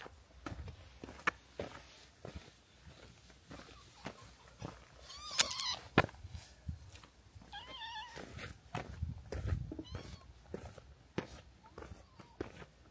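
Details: Stray cats outdoors by a harbour, having followed from a hilltop settlement and close to a fight with the harbour's cat group; a few short rising-falling meows over scattered knocks and clatter.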